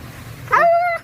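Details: Pet dog giving one drawn-out, steady tonal whine in a talking-like manner, lasting about half a second and holding a level pitch before stopping, with a faint low hum behind it.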